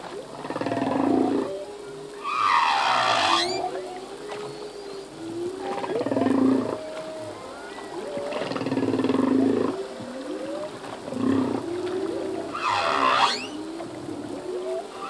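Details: Humpback whale song from a male: low moans and groans alternate with bright upswept cries and roaring bursts, phrases recurring every few seconds across a continuous ocean background.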